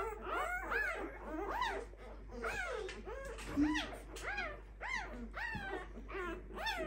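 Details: Five-day-old Clumber Spaniel puppies from one litter whining continuously: rising-and-falling squeaky cries in quick succession, some overlapping, with a brief thump midway and a constant low hum.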